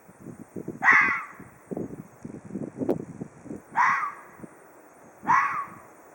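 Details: Ezo red fox calling. Three rasping screams, short and falling in pitch, come at irregular gaps of about one and a half to three seconds over continual low muffled background noise.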